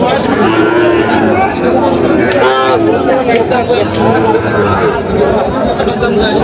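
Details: Sahiwal cattle at a crowded livestock market on 6 July 2025, lowing in drawn-out moos that are partly buried under continuous human chatter and haggling voices.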